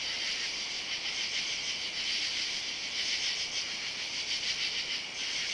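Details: Katydids under oak trees by a driveway on the night of July 31 in summer; many insects rasp together in a high, even drone, pulses recurring near every second.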